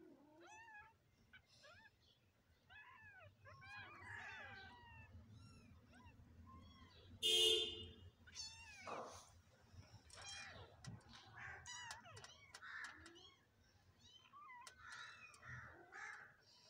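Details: Several kittens give high, short arched mews scattered throughout, overlapping one another, with a brief loud harsh burst midway and a steady low hum underneath.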